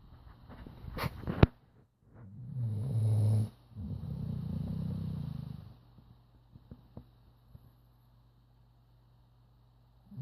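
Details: Charlie, a sleeping chocolate Labrador Retriever, snoring loudly: two long, low rumbling breaths of about a second each, then quieter clicks and scattered small sounds, with a brief sharp noise near the start.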